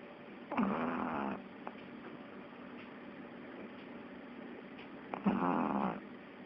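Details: A pug snoring: two rough, buzzy rattling breaths about four seconds apart, each lasting under a second, over steady low background hum.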